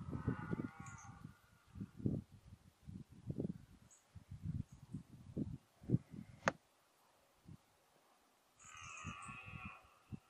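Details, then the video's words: Red deer stag in the 2014 rut, likely the 14-point stag, gives a short harmonic bellow at the start and another near the end. Loud low knocks and rumbles fill the middle. "Brame du cerf 2014"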